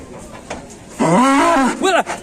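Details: Cow giving a very loud, dragon-like bellow: one long, steady harmonic moo of under a second that dips slightly at the end, then a shorter rising-falling second call, with faint background voices.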